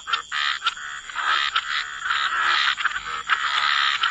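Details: Chorus of croaking frogs at the water's edge, forming a steady wall of harsh, overlapping calls with few breaks.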